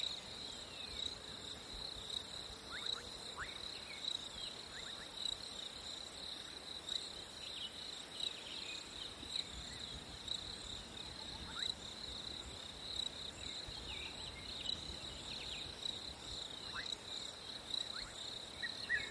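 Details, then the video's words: Crickets keep up a constant shrill trill on a hot summer day; short bird chirps and sweeping calls appear throughout, over a light background hiss. "Crickets in a hot summer day"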